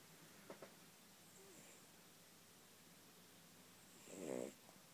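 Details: Yorkshire Terrier asleep and content indoors, giving a single soft, low, rasping snore near the end after quiet breathing, with faint rustles earlier.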